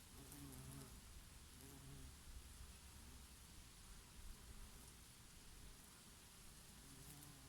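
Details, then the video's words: Bees grazing on oregano flowers in summer, with now and then a bumblebee: low humming wingbeats come and go in short bursts near the start and end, over a soft summer breeze rumbling underneath. "Peaceful sound of the summer breeze and of the Bees and here and there a bumblebee"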